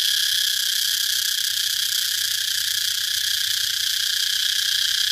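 A cicada gives a loud, unbroken, high-pitched buzzing drone that holds steady throughout.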